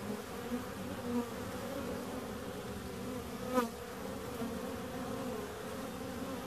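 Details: Continuous low buzzing of bees with faint wavering tones, quieter and more even, broken by one sharp rising click-like sweep midway.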